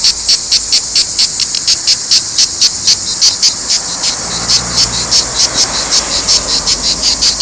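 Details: Cicadas singing in Provence: a loud, high, shrill buzzing that pulses in a fast, even rhythm of about four bursts per second, continuous and dense throughout.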